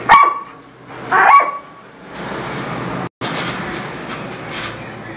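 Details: Thor, a Bull Terrier at play, gives two sharp yappy barks about a second apart, followed by steady broadband rushing noise with a brief dropout.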